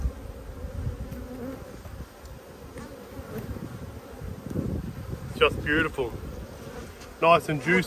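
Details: Honey bees humming during an Australian hive inspection of two strong colonies struggling through a dearth, February 2022. Continuous low buzzing swarm drone that swells midway, with short bursts of human speech near the end.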